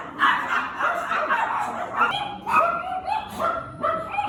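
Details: Maltese dog named Duyu at the Nonhyeon Gangaji-ttong dog cafe, where it shows an aggressive, won't-put-up-with-it temper; a rapid run of sharp, harmonic-rich barks, about eight bursts in four seconds, with a background room hubbub.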